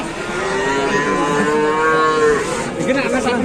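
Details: Angry cow that charged at people in a market in Indonesia, giving a long drawn-out moo with a steady tone that holds and then fades, with crowd noise behind.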